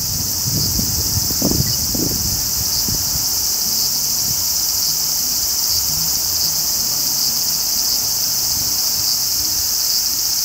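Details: Graptopsaltria nigrofuscata, the large brown cicada, in unbroken buzzing song, a bright frying-oil hiss held evenly throughout, with brief low knocks early on and faint background murmur.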